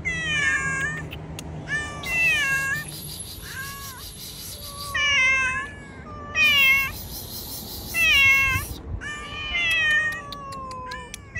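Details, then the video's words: Hungry cats outdoors eating cut fish, giving repeated harmonic meows, some overlapping, several falling or wavering, with bursts of broadband hiss-like noise between calls. "A cats eat cut fish outside hungry cat #meowing"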